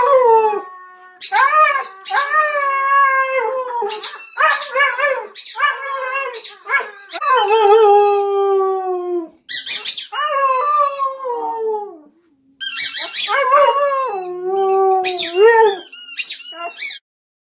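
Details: Husky howling along to a squeaky toy at home, producing a series of loud, sustained, quavering howls that rise and fall, each several seconds long, interrupted by shrill toy squeaks and brief silences.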